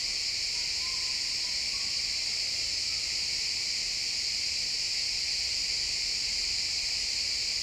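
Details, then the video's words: Chirping crickets fill a pine forest at sunset in this real-time XY stereo recording, forming a continuous high, hissing chorus; a few faint, brief whistled notes come from somewhere near the start. "Cricket sounds in the pine forest"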